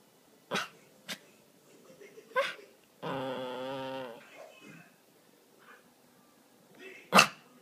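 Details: Male Miniature Pinscher begging to play with his laser toy in the evening; one sustained wavering whine-groan lasting about a second, surrounded by sharp knocks and clicks.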